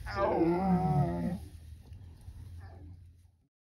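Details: Lion cub surrounded by a clan of hyenas in the wild, calling its mother for help: a single drawn-out, moaning, harmonic cry lasting just over a second, falling in pitch, followed by quieter low rumbling.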